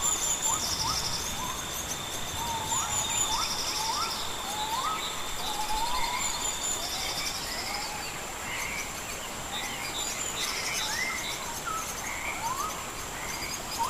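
White-headed capuchins give short, rising chirps again and again over a steady insect buzz.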